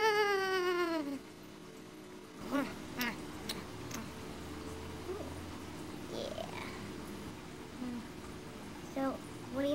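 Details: Pet cat Tink "talking" while scratching, evading a flea bath and excited about dinner: one long, falling meow opens the clip, followed by a person talking about dinner and a few short, faint mews.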